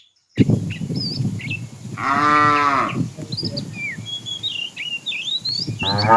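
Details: Tame cattle in a herd walking along a road looking for food; one long harmonic moo of about a second rises and falls midway, with a second moo starting at the end, over rustling and frequent chirping birds.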